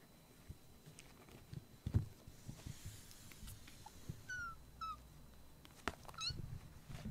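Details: Rescued foster kittens play-fighting indoors, one biting a hand that stepped in to stop them: a few brief, thin, high mews in the second half, the first two close together, with soft thumps and rustling from the scuffle.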